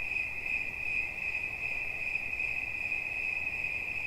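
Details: Cricket sound for relaxation, here a nearly continuous high, thin trill with only slight pulsing, steady throughout four seconds over faint background hiss.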